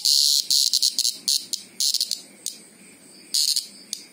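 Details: Greengrocer cicada producing rapid, stuttering bursts of shrill high buzzing, clustered pulses with brief pauses, and a longer quiet gap before a final flurry.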